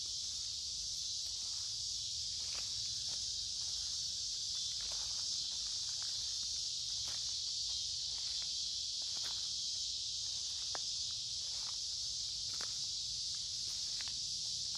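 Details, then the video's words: Cicadas massed in creekside woods on a warm, humid summer day keep up a bright, continuous sizzling drone, while footsteps, twig snaps and scattered sharp clicks from walking punctuate the background. "Walking along a Creek with lots of Noisy Cicada Insects Singing in Summer"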